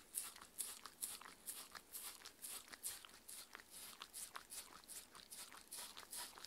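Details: Mindy, a Shetland Sheepdog aged six, eating her dinner inside; distinct, louder crunches land roughly twice a second, each a short crisp snap amid softer wet chewing.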